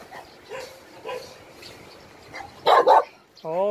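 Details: At Hanna's rescue shelter for abandoned dogs in Daegu, two loud back-to-back barks burst out after quiet speech, followed by a drawn-out, wavering whine.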